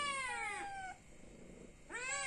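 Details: Hungry cat meowing to ask for food: two harmonic-rich meows, the first long and falling, the second rising then falling after a quiet gap of about a second.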